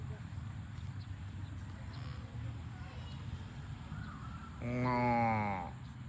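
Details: Cows on a farm running home to the barn; after a stretch of low rumbling background noise, one cow gives a single loud, steady moo lasting about a second near the end.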